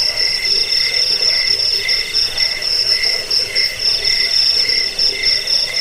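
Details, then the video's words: Cricket sound meant for driving away rats, lulling to sleep and tutoring songbirds: bright, rapid chirp bursts recurring about every half second over a continuous high buzz. "Suara jangkik pengusir tikus pengantar tidur"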